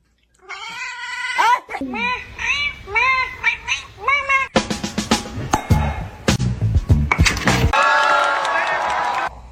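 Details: Cat giving a rapid run of short, arching meows, about one every half second, followed by a burst of noisy sounds and music, with speech in the mix.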